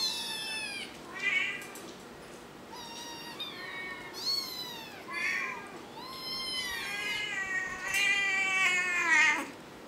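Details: Chorus of kittens at four weeks old, about ten insistent high mews across the stretch, bent and wavering with bright overtones, calls crowding together and growing denser toward the end.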